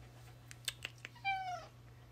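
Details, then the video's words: Tuxedo cat talking to its owner indoors: one clear meow lasting about half a second, starting high and falling in pitch, preceded by a few soft clicks and taps, with a steady low electrical hum throughout. "Cute tuxedo cat talks to owner bout his day"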